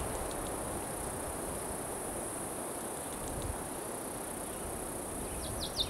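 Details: A steady, high-pitched, unbroken buzz like a circular saw, of unidentified origin and queried as a cicada, over soft background noise, recorded 26 June 2013. P. putnami and O. bella are also audible.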